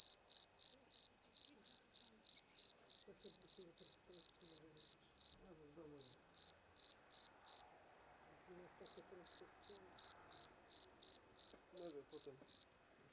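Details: A cricket's rapid, high chirps come about three per second, with two brief pauses where the insect falls silent before resuming; soft human voices murmur faintly underneath.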